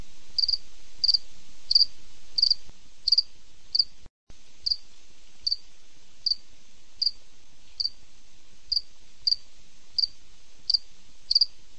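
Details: A cricket calls at night with a steady train of single high chirps about every two-thirds of a second, interrupted by a brief silent break before the chirping resumes at the same pace.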